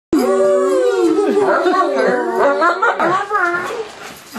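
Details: A German Shepherd responds to its owner's silly noises by yowling in wavering, drawn-out tones, bending its voice up and down so it sounds like "I love you."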